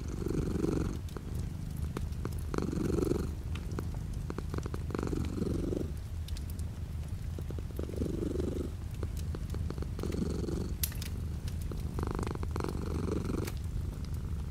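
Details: Purring house cat, light rain outside the window; a low vibrating drone whose louder exhale phases recur roughly every two to three seconds, with frequent crisp rain drips throughout.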